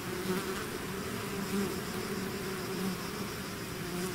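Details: Hive swarm of bees heard as a dense buzzing chorus, with several louder passing buzzes rising briefly above the constant low hum.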